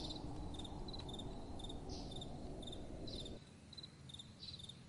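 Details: Crickets at night calling with short, high chirps in quick pairs, repeated about twice a second, over a steady low rush of soft wind that drops away near the end.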